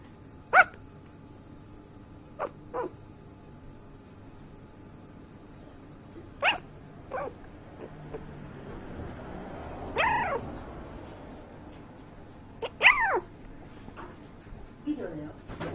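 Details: Puppy talking in its sleep: scattered soft squeaks and tiny yips, a few seconds apart, some bending downward in pitch, over a quiet room hum.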